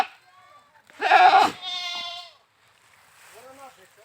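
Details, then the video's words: Goat bleating: a loud harsh bleat around the middle, then a quavering tonal bleat with stacked harmonics, followed by a fainter wavering call near the end; quiet stretches between. "Funny Goat Sounds"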